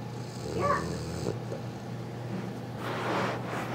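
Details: A Newfoundland puppy asleep and happily snoring: two soft, breathy snores, the first short with a hissing rasp, the second a longer airy exhale, over a low steady hum.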